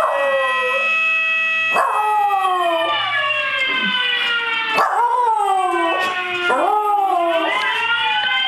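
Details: Cairn Terrier x Shih Tzu mix dog howling in response to a firehouse siren; long drawn-out howls sliding downward and restarting roughly every one to two seconds, tangled with the loud, rich wailing siren that continues throughout.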